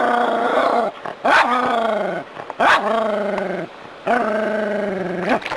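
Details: Agitated Jack Russell terrier barking at a rat snake, city home; a series of long, wavering yowl-barks, each about a second, punctuated by short sharp yelps and sniffing noises, repeated roughly every one to one and a half seconds.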